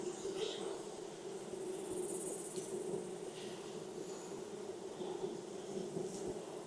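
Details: A colony of honey bees buzzing during a summer hive inspection in Texas, smoked with burlap fuel; an even, unbroken hum with soft scattered clicks and brushing sounds.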